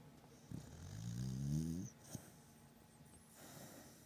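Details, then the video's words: Pet beagle Batman snoring in a deep sleep, a single drawn-out low buzzing inhalation snore with rising and falling tones, followed by a short snort and soft breathing. "Beagle snoring"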